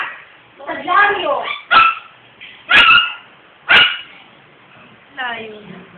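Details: Siberian Husky named Ryuk starts with a wavering, tonal vocal phrase, then lets out three sharp, loud barks about a second apart, and ends with a softer, quavering whine.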